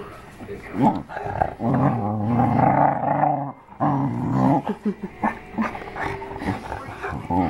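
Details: Pet dog named Arran groaning with pleasure while getting belly rubs: long low rumbling moans with a warbling, throaty texture, broken by short choppy grunts, with some speech in the background indoors.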